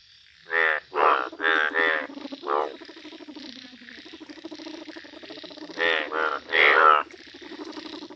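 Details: Indian bullfrog, described as yellow, calling in a village: loud, low, pulsed croaks in short bursts of well under a second, grouped in twos and threes over a steady buzzing chorus of other frogs.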